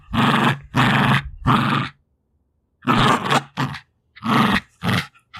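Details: Two-year-old female Jack Russell Terrier fighting over her favourite toys: three heavy, gravelly growls in quick succession, a short pause, then further clipped growls and snorts.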